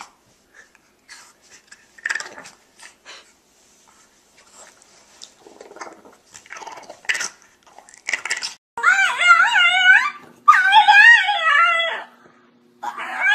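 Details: French Bulldog 'talking': soft rustles and a person speaking early on, then two long wavering, yodel-like whines with strong harmonics that rise and fall repeatedly, ending in a short final whine.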